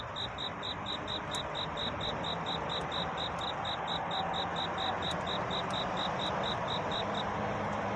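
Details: Cricket singing at night to court a mate, a dawn scene: steady, high-pitched pulsed chirps, about three to four per second, running evenly over a constant broad hiss and low rumble.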